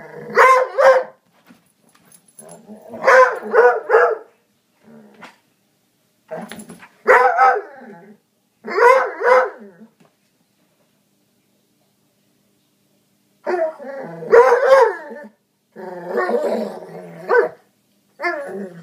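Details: A foxhound and springer spaniel mix dog growls and barks at a couch indoors: bursts of rough, harsh barks in clusters of two to four, separated by pauses, with long silent gaps between volleys.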